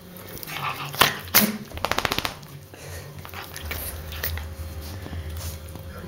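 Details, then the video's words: Indoors, pet dog Bobbie lets out two forceful sneezes about a second in, followed by a quick string of short rhythmic snorts, then quieter breathy noise over a low hum. "My Sneezing Dog Bobbie"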